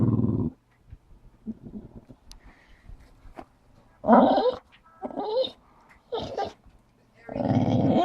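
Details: Staffordshire Bull Terrier cross dog worked up over a ball behind the sofa indoors; several short, rough growly whines and snorts in bursts, ending in a longer loud groaning whine, with a woman's voice nearby.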